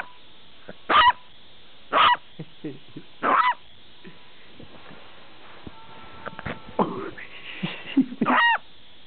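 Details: Buster, a dog that rarely barks but barks loudly when he does, giving a run of loud sharp barks roughly once a second, then a quieter stretch of whines and yips before more barks near the end.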